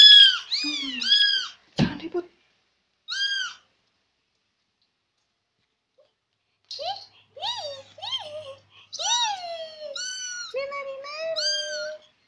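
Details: Noisy Persian kitten following its owner: bright meows, a sharp knock, a pause, then a varied run of meows, some lower and falling, sliding into longer wavering cries.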